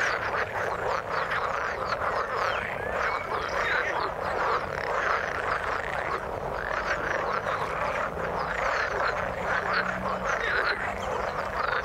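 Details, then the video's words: Frogs in the water producing a steady chorus of quick, rattling croaks and trills, overlapping voices with no pause. "Frog sound in the water"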